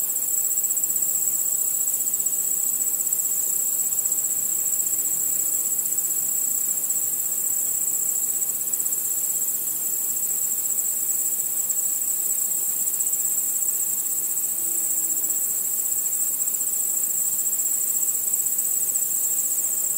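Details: Under a starry night sky, crickets and other insects keep up a steady high-pitched trilling drone, finely pulsed and unvarying for twenty seconds, with no other clear sounds.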